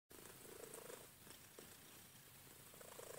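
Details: Pet cat purring indoors: a soft, steady low rumble held throughout under faint background hiss, before a person starts talking to it.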